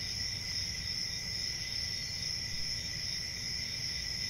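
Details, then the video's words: Crickets at night: a steady, unbroken chorus of high, shrill trilling, with bright bands near the top of the range and a faint low rumble beneath. "CRICKETS AT NIGHT"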